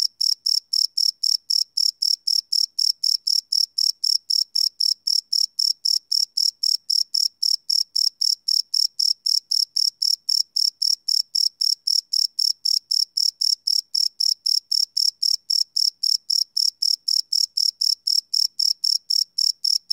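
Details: Crickets chirping at night, recorded live on a Sony PCM D100 field recorder: a steady, high, ringing pulse repeated about four times a second, evenly spaced, with no other sounds behind it.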